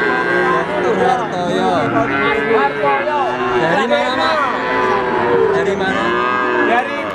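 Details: Three-month-old Simmental, Limousin and Pegon calves offered for sale. Many overlapping mid-pitched moos and bleats rise and fall in curving, drawn-out calls. Steady crowd noise sits underneath throughout.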